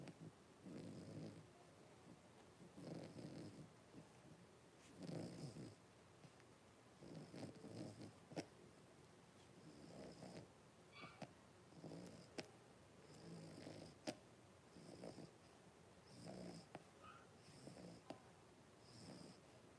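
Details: Blenheim Cavalier King Charles Spaniels, a litter of five puppies born on New Year's with their mother Paris in an indoor puppy pen; soft, rhythmic snoring breaths about every two seconds, each a low rasping puff, with faint high hiss between.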